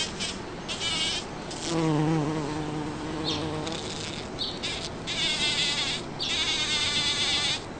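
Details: A bumblebee works Champlain rose blooms in a back yard in Toronto, Ontario, on June 5, 2010; its deep, even drone swells for about two seconds mid-recording amid a chorus of higher-pitched whining buzzes from other insects.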